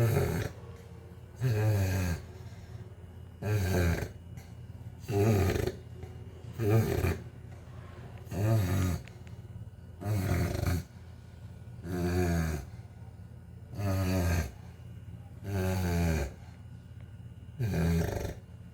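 A Chow Chow snores loudly, each rumbling, rattling breath coming roughly every two seconds.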